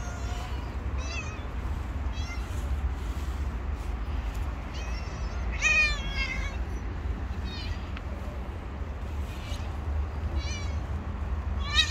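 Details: Street-living stray cat meowing repeatedly, short rising-falling harmonic cries every second or two, with a louder meow midway, against a constant low hum of traffic.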